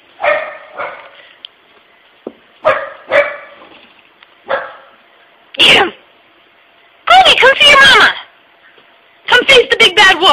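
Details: Young pet dog Pooper, afraid of an empty tissue holder shaped like a puppy, gives spaced single barks, then denser yappy bursts, with a man's voice speaking over the later part.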